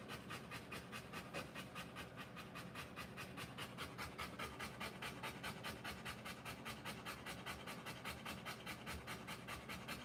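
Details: A birthing Rottweiler pants in a steady, very regular rhythm of around 146 quick breaths per minute, with soft background hiss throughout.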